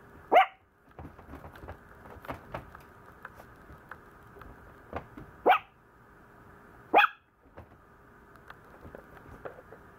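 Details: Complaining Maltese puppy yaps three times across ten seconds, each bark brief and shrill, spaced irregularly by a second or more. Soft clicks and shuffling fill the gaps.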